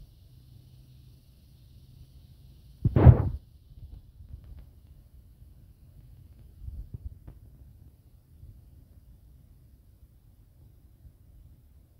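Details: A faint low rumble is broken by one sharp, loud burst like a whoosh or bang near the three-second mark, then soft scattered thuds, with no animal voice.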